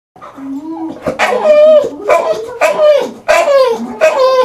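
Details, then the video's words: Elvis, a pet English bulldog, making funny noises: a run of drawn-out, tonal whining moans that slide up and down, broken into several long phrases with short breaks between them. "Elvis The Bulldog Likes To Make Funny Noises"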